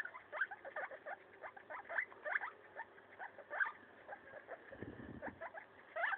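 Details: Pet guinea pig named Maso tearing apart a leaf, giving dense, fast, crisp crunching clicks and nibbling sounds, with a short low rustle toward the end.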